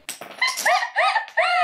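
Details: Male white Pomeranian dog during an indoor obstacle challenge, giving a series of arched, whiny vocal notes, each rising then falling, about four in quick succession after a few soft thuds.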